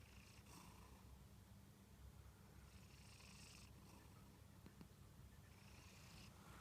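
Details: Sleeping Munchkin cat snoring: a soft, steady low rumble runs throughout, with faint airy breath swells roughly every three seconds; quiet, close recording with no other clear sounds.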